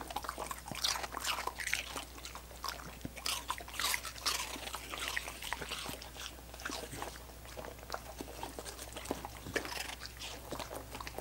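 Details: Several dogs work at coconut water popsicles, producing a dense, continuous stream of wet laps, slurps and icy crunching, busiest in the first few seconds and then settling into steady, rapid licking over a low constant hum.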